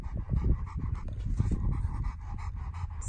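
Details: Cane Corso dog panting steadily, quick rhythmic breaths about five per second, soft and breathy over low rumbling background noise.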